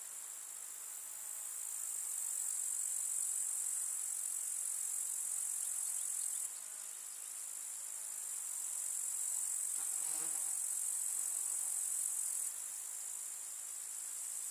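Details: In a countryside summer meadow, grasshoppers produce a ceaseless high shimmering buzz, while a lower droning hum like a flying insect passes through for about a second midway.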